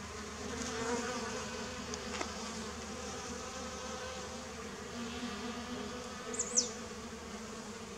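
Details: Swarming honey bees drinking at a watering place, 2019: an even, layered buzzing drone throughout, with a couple of short high chirps late in the recording.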